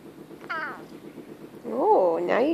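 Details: A sleepy Bengal cat, roused mid-nap after playing outside, gives a brief meow, then a longer, wavering meow that rises and falls.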